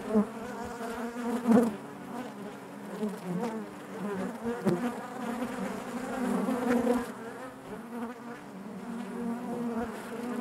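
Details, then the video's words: Many honey bees humming within the hive: a constant warm drone punctuated by short louder buzzes of individual bees passing near. "bees therapy hive natural buzzing sound"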